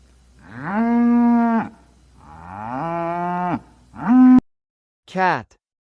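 A cow gives a series of deep, drawn-out moos, some rising in pitch, with short gaps between.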